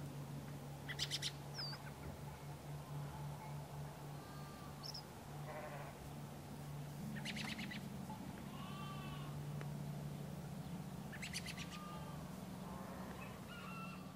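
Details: Sheep on a farm in the morning giving three wavering, harmonic bleats spaced about five seconds apart, over a steady low hum with a few faint bird chirps.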